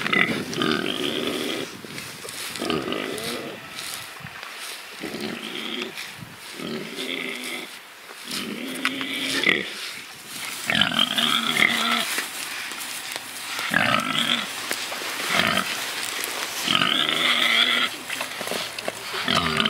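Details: Pigs rooting and truffling give a run of short harmonic grunts and oinks in quick, uneven bursts, roughly three to four each second, over a steady rustling background.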